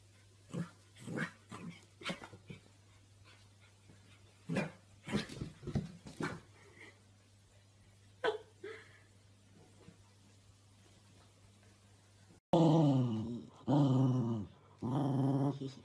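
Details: Corgi puppies indoors: faint clicks and scuffling, then abruptly loud, harsh, low barks repeated in quick bursts near the end.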